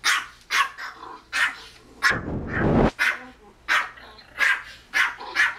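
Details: Kozmo, a Pomeranian kept as a pet, reacts to an on-screen Pomeranian barking at a television dog. Single shrill yaps come roughly every half second, broken by a loud noisy burst of about a second.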